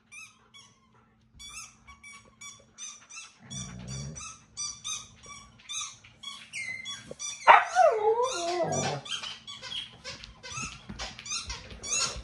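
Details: Indoors, household dogs disturb their owner's TV time with a long series of thin, high squeaky yips. These build into a louder, rough, wavering bark-whine partway through, then quick yaps continue.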